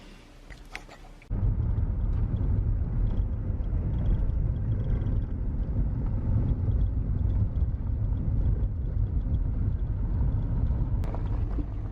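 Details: Steady low rumble of a passing vehicle or wind-like roar, with no animal calls heard.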